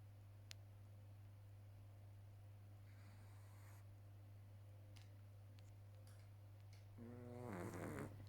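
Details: A sleeping 12-week-old Boston Terrier puppy snores with a low, steady rumble, ending in a brief nasal snort.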